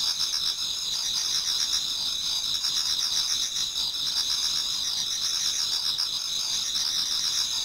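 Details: Towards dawn in autumn, insects fill a Japanese garden with an unbroken high trilling chorus, several ringing tones stacked together and quick chirps pulsing through them.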